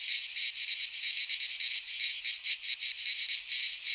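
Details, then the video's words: In a Greek pine forest at midsummer, cicadas keep up an intense high buzzing wall of sound, beating in short uneven surges. "Cicadas singing in midsummer"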